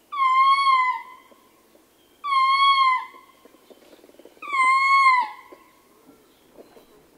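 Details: Male ring-tailed lemur giving howling calls, close-up; three long, clear wailing howls about two seconds apart, each falling slightly in pitch, with soft grunts and quieter calls from other troop members between them.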